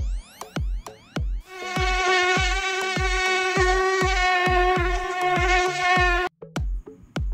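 A housefly's steady, droning buzz holds for several seconds over a thumping musical beat.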